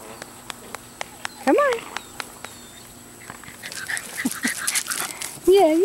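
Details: Meredith, an 11-week-old female chocolate tri English Bulldog puppy at the Siess Ranch, gives two short, arching high whines, one early and one at the end, over steady regular ticking clicks and a patch of rustling noise between.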